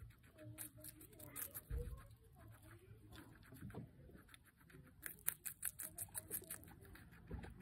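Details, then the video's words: A pet guinea pig, Pancake, eats capsicum. Scattered crunchy bites early on, then a dense run of sharp crunching clicks in the last three seconds, with faint low hum underneath. "Guinea pig Pancake’s capsicum Mukbang 기니피그 피망 먹방"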